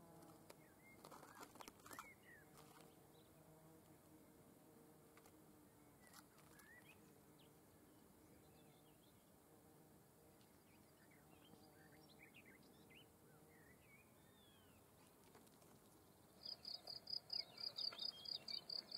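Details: Field cricket (Gryllus campestris) singing: after about sixteen seconds of quiet background with faint, scattered bird chirps, loud, high-pitched pulsed chirps start abruptly, roughly two or three per second, and continue to the end.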